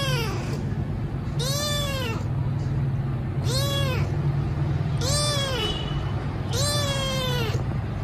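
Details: Hungry rescue kitten meowing loudly as food is given, four arched, wailing meows spaced about every one and a half seconds, with a constant low rumble behind.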